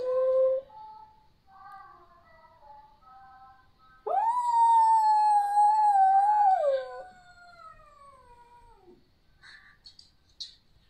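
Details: Pet dog singing indoors: soft wavering tones at first, then a loud sustained howl that holds steady before sliding down and fading, with faint scuffles near the end.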